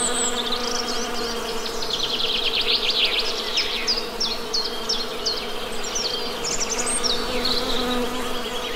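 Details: Honey bees give a steady low droning hum with layered overtones, while birds keep up quick high chirps and trills above the buzz throughout.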